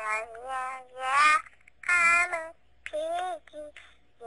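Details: Female bulldog named Pebbles singing her first song: wavering, whiny howled notes with rich overtones, rising and falling in bursts of about half a second to a second, with short pauses between.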